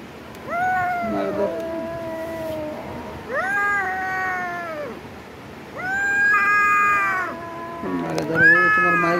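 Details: Cats fighting: repeated long moaning yowls, about four drawn-out wails rising and falling at irregular intervals, overlapping growls, while a person speaks loudly in Bengali urging them on.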